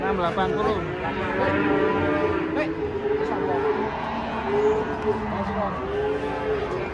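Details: Big cattle stepping down from a truck during unloading; drawn-out, wavering lowing with stacked harmonics runs through the whole stretch, mixed with human voices and handling noise.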